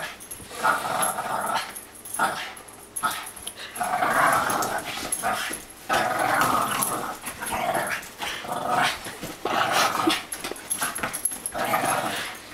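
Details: A female Boston Terrier growls and grumbles in rough bursts during rough, one-sided play-fighting with a larger Great Dane.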